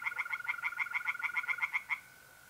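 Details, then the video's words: Tree frog chorus from a pond at night in mid-April, north-east Italy: about fourteen loud, sharp clicking croaks in rapid, even succession over two seconds, then stopping, leaving a faint continuous mole cricket trill. "relaxing singing tree frogs in pond"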